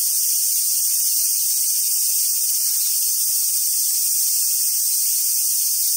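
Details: High, constant buzzing of cicadas on a summer day at Awajishima Monkey Center, Sumoto, Hyogo, Japan, steady and unvarying from start to finish with no other clear sounds.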